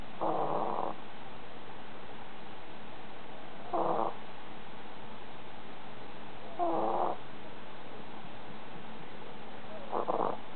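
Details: A sleeping dog snoring: four short, rasping snores spaced about three seconds apart over a steady background hiss.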